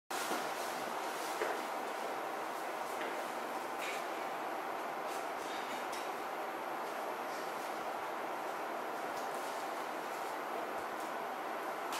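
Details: Continuous rushing train or subway noise with rattling carriages and brief clicks, no animal sound heard.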